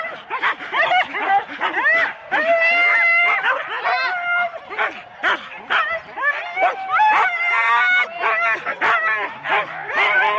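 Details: Husky teams of four dogs at a sled race start in Rendlesham, January 2016, recorded on analogue cassette: a dense chorus of overlapping barks, yips and high whining howls from many dogs, with human voices mixed in.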